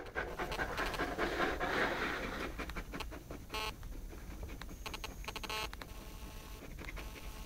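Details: An 11-month-old Saint Bernard puppy playing with a pygmy rabbit indoors; rapid, rhythmic, breathy panting runs at over two breaths a second, with a few sharp clicks and a hiss of background noise.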